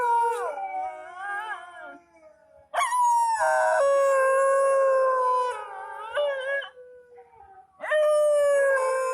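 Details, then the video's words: Indian dog (kutta) weeping with loud, drawn-out howls: a wavering cry, a short lull, a sustained high howl lasting about three seconds, then another strong howl near the end. "Indian dog kutta 3 weaps and generate a horrible sound"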